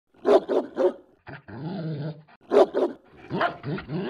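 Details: German Shepherd barking: three quick deep barks, then a rough, growling stretch, then another bark and a few more harsh barks.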